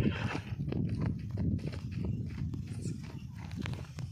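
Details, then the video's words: Marwari horse moving with clip-clop hoofbeats, low thudding steps repeated throughout, with faint voices in the background. "Horse video | Marwari horse"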